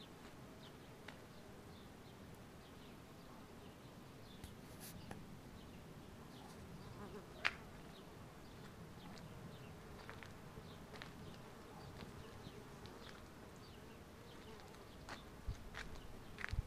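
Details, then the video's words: Spring in Southern California: a dense crowd of bumblebees works a blooming wisteria, giving a continuous low hum, while small birds chirp sharply now and then and a few clicks rise near the end. "Bumble Beez in a Wisteria tree"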